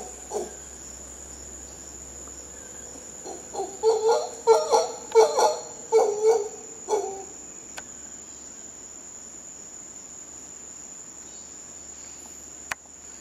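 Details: Howler monkeys from Costa Rica let out a single grunt, then a run of loud, rasping rhythmic roars lasting several seconds before fading to silence, a high insect whine and a low hum continuing throughout.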